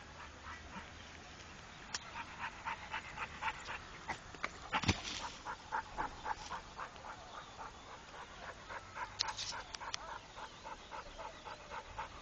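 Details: Rako, a trained Pit Bull, panting in quick rhythmic breaths of about four per second, with a few sharper clicks and a loud knock near the middle.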